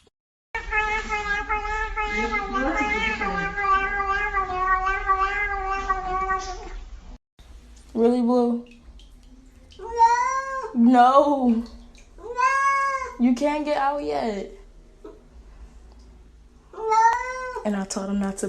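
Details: Domestic cat in a compilation of talking cats: a long, steady, wavering harmonic cry, then several separate rising-and-falling meows, with a woman speaking nearby.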